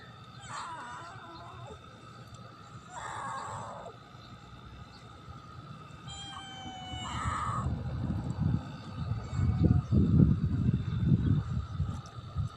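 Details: Pet cat meowing in three short bursts near the start, each a tonal wavering cry, followed by loud low rumbling handling noise and a steady background hum.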